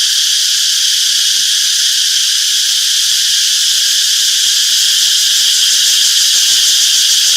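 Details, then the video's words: A thick, high-pitched cicada drone from a summer forest, continuous and faintly throbbing, unvarying in volume, with no other sounds. "Relaxing Cicadas Chirping Sounds - Peaceful Summer Forest"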